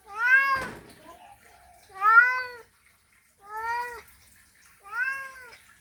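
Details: Male cat giving a mating call to a female: four loud, drawn-out meows, each rising then falling in a rich harmonic arch, spaced about every one and a half to two seconds, with a brief click near the start.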